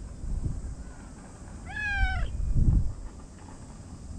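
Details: Stray cat meowing at a park cat gathering before dinner in Japan: a single clear, drawn-out meow, slightly rising then falling, with low rumbling background noise and a person's footsteps.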